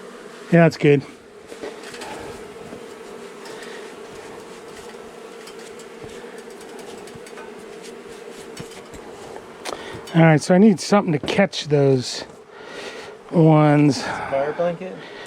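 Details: Honey bees of a long-standing wall colony, angry after nightfall on day one of a March 6 house cutout, keep up a steady droning hum while a man's voice breaks in loudly at the start and near the end.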